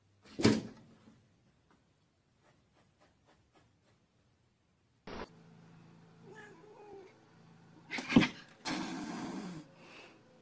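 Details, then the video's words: Domestic cats fighting through a pane of glass: a sharp yowl at the start, a long quiet gap with faint taps, then rising snarls, a loud screech near eight seconds and a burst of hissing noise. "Cats Fighting Through Glass"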